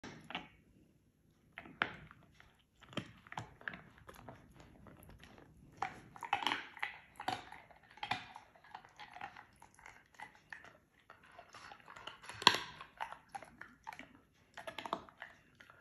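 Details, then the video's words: Giant Schnauzer crushing a bone while cooling off at the beach: irregular bursts of sharp, crackling crunches and gnawing, separated by brief quiet pauses, with several louder snaps near the middle and end. "Giant schnauzer crushes bone"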